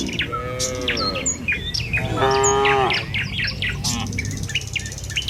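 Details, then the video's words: Morning village cattle on their way along the road to the pen; two moos, a shorter one and then a stronger, steady one, surrounded by busy bird chirps and short whistles. "Suara Sapi Moou Sepanjang Jalan Menuju Kandang"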